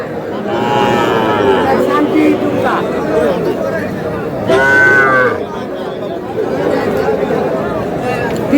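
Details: Cattle market in Madaripur on 28 April, with a farmer buying the smallest bull calves; a loud, short moo stands out midway, surrounded by a constant murmur of voices and haggling.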